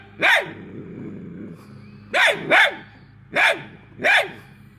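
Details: Hounds chasing an escaping squirrel give loud, sharp barks in bursts, a single bark, then a quick double bark, then two more spaced about half a second apart, over a low steady engine-like hum.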